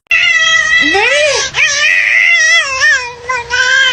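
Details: Kitten meowing indoors, a string of drawn-out, wavering meows with one sharply rising then falling cry, followed by shorter bending calls nearly continuous over four seconds, with a person's voice faintly in the background.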